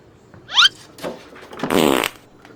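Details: Kitten at home, one of three kitten siblings: a single short, high mew that sweeps steeply upward, followed by rustling and a loud, broad noise burst indoors.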